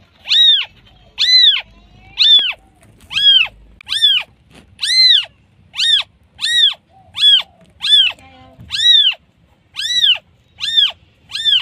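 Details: Newborn kitten crying for mom: a persistent series of about fifteen thin, high mews, each swelling and dropping in pitch, evenly repeated about once per second with little else audible.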